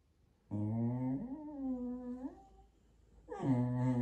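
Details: Indoors, a pet Jack Russell Terrier "talks" to its owners with a long, wavering whine-moan that rises at the end, followed after a short pause by a second, louder grumbling vocalization.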